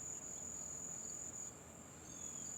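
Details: A lone cricket that has stayed in a garage for about a week, after two had been there, sings a steady, shrill, unbroken high trill that briefly dips and drops out midway before resuming. Faint bird chirps are heard behind it.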